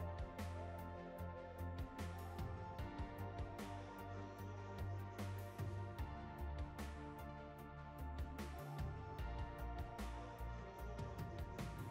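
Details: Steady instrumental music with a pulsing low bass and regular percussive beats; no animal calls can be picked out.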